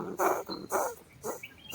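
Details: Very large bandicoot rat caught in a cage trap set for rats beside a vehicle, called dangerous: harsh, hissing growl-like bursts repeated about every half second, noisy and broadband.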